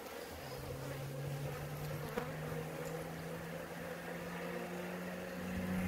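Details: Honey bees at a hive in Maine-et-Loire, France; a single close bee's low, steady buzz rises slightly in pitch as it passes, over the constant hum of the colony.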